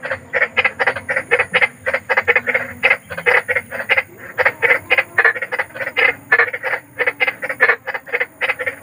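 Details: A big frog in nature gives loud, grating croaks, described as eerie and soothing for sleep at night. Short rasping bursts follow one another quickly, roughly four per second, with tiny gaps and a gritty, buzzing texture.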